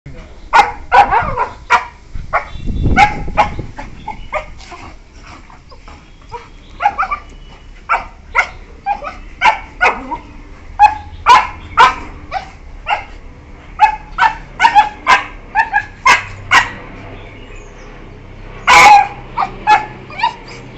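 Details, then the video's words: Beagles about one year four months old playing with each other, yelping in short sharp bursts, dense clusters of high yips and barks through most of the stretch with brief quieter gaps, some scuffling underneath. "Beagles playing with each other| Funny sounds| Yelp"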